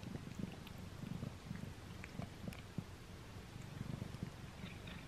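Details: Close recording of a house cat eating a string cat treat for the first time: a low, throbbing purr carries on beneath irregular sharp chewing clicks and faint crunches.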